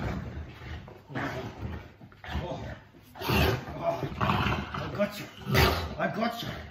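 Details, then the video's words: Molly, a female Boerboel, growls during play fighting after being given the top position. Deep, rough rumbling growls come in bursts, with louder roar-like outbursts. A person talks in between. "Play fighting with my Boerboel"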